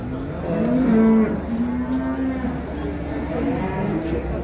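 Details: Water buffalo with its calf at the Şarkışla animal market in Turkey. It gives a low, drawn-out, moaning moo that steps up briefly and then holds steady for about two seconds, over a soft market hum.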